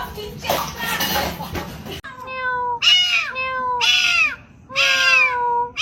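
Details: Cute kitten meowing indoors: four clear, bright meows, each a short arching cry, repeated about once a second after an opening stretch of muffled voices and rustling.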